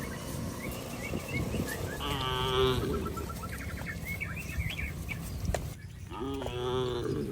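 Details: Tame cattle herded across a rice field, giving two moos about four seconds apart amid steady outdoor rumble and other faint animal sounds.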